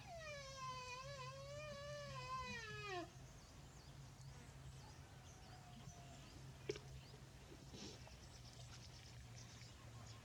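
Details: A small water buffalo calf in a green field gives one drawn-out, wavering bleat that slides downward in pitch, then falls quiet.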